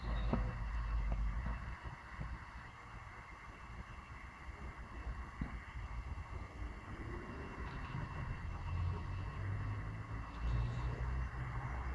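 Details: Low wind buffeting and vehicle-like rumble dominate, with scattered faint knocks and no clear animal voice.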